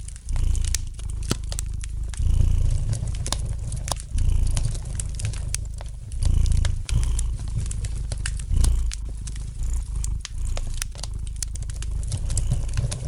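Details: Gentle purring of a domestic cat next to a crackling fire, the low rumble rising and falling roughly every two seconds as it breathes in and out, overlaid by frequent snapping and crinkling pops from the flames.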